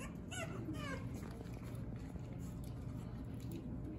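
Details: French Bulldog puppies of the Fanya x Prince litter at play: two quick high, wavering yelps in the first second, then low rustling and scuffling against a steady background hum.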